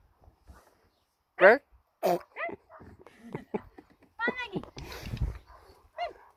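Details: Bernese Mountain Dog puppy, female, being coaxed into her new kennel, gives sharp arched yelping whines, a few loud bursts rising and falling in pitch, between a man's and woman's speech indoors.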